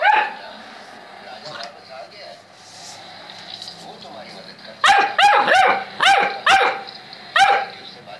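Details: Saint Bernard dog barking: after quiet murmuring, a burst of five rapid, sharp barks in quick succession, then one more bark a second later.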